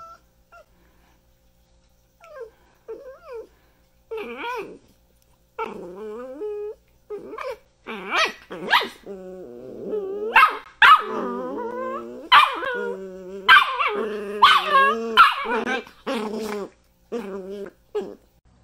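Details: Miniature dachshund giving a few soft, wavering whines that build into rapid bursts of yips, short sharp barks and throaty growl-whines, coming thick and fast through the second half with brief pauses between flurries.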